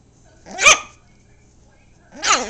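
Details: Seven-week-old Yorkipoo puppy giving two sharp, high-pitched barks with bright upper harmonics, one early and one at the end, separated by about one and a half seconds of near silence indoors.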